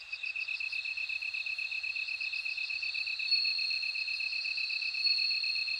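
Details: Rapid, evenly beaded chirping of a bell cricket, a bright metallic pulsing that never pauses, with a second, higher ringing trill swelling into a smooth sustained tone midway through.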